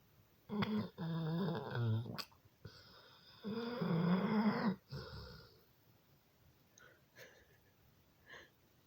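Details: Sleeping dog snoring indoors: two long, low, rasping, throaty rumbles, each lasting over a second with a short gap between, followed by softer scattered snuffles and quiet breathing.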